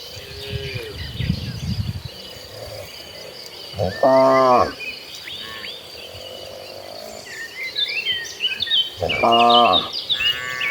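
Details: Calm cattle from a herd of dozens walking toward a green pasture; two deep, drawn-out moos about five seconds apart, with busy chirping birds and insects in the background.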